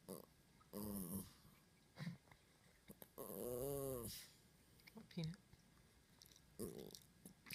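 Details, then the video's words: Chihuahua minpin mix trying to speak indoors: drawn-out, wavering howl-like vocal with rising and falling harmonics, preceded and followed by short grumbling yelps. "Chihuahua minpin trying to speak"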